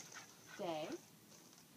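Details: A single brief, arching bark from farm dogs, rising then falling in pitch, with a quiet background before and after.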